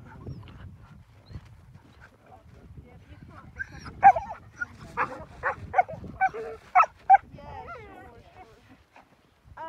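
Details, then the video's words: Sled huskies in Akureyri, Northern Iceland, keen to get going on a sledding trip, letting out a run of sharp yelping barks and whines, about one every half second in the latter half. "Husky Dog Sledding in Northern Iceland"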